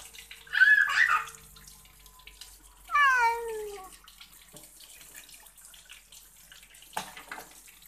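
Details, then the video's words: Pet cat being bathed: a brief rough sound, then a clear falling meow lasting about a second, with trickling water and a sharp knock near the end. "Kucing Suka Mandi"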